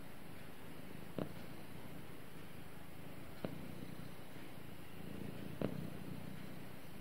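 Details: Domestic cat cuddled up with its owner, purring as a faint low drone, marked by three short brighter pulses spaced a couple of seconds apart.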